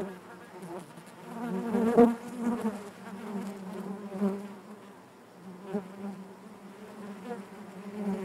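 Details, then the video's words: Natural buzzing of honey bees within the hive, a rich, humming drone that rises and falls gently, peaking loudly around two seconds and again with smaller swells later as bees move close. "bees therapy hive natural buzzing sound"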